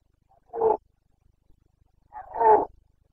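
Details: During the breeding season in Bucovina, 29 September 2022, a Carpathian red deer stag gives two gruff rutting roars about two seconds apart, the second longer and louder, with near silence between.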